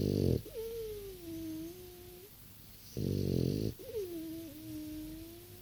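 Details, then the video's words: Snoring from a six-year-old pet French Bulldog: short grating snorts, each followed by a sliding whistle that starts high, drops and then holds a steady tone before the next rasping intake. "French bulldog snoring"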